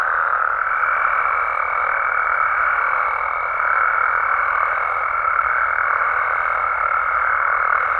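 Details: Frogs and toads calling at night in Mexican amphibian habitat: a dense, unbroken croaking chorus fills the mid range, while a thin, steady high whine enters within the first second and holds to the end.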